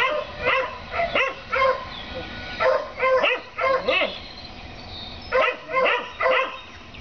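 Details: Several neighbours' dogs barking at their rabbit on 7 April 2014; clusters of two or three sharp barks separated by short pauses, multiple dogs overlapping, constant background hiss.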